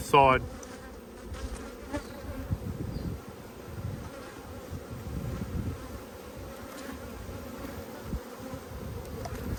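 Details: Strong honey bee colony short of food in a dearth, opened for a hive inspection in Australia, 5 February 2022. Dense, even droning hum throughout, with a brief human voice at the very start.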